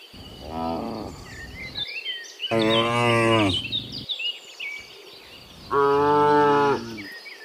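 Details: Herd of cows returning from the field to the barn in the morning: three moos, a short quieter one followed by two longer, louder bellows, with chirping birds behind.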